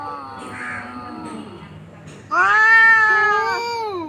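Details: Two domestic cats fighting on a tin roof at noon give drawn-out, wavering yowls, a quieter moaning wail first, then a loud, harmonically rich howl from about halfway that slowly rises and falls.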